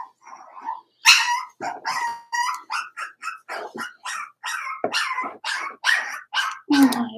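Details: Daisy's Cavalier King Charles Spaniel puppies, four weeks old, yelp from their pen in a steady run of short, bright, harmonic cries, roughly two or three each second. The opening is a softer whine before the sharper yelps begin.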